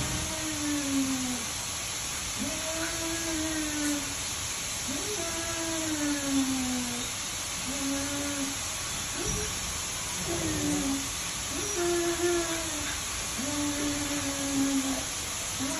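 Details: Siberian Huskies playing together during mating: a run of about seven long, moaning whines, some rising and then falling, spaced a second or two apart against constant hiss.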